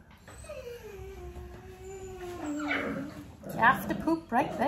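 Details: Nearly six-week-old puppy indoors during a clicker training session with its mother Arya nearby: one long, drawn-out whine slides steadily downward for about three seconds, followed by bursts of rustling and short squeaky yelps.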